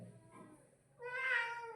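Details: Domestic cat meowing: a soft murmur, then a clear, smooth meow that swells and slightly rises over nearly a second, indoors and quiet.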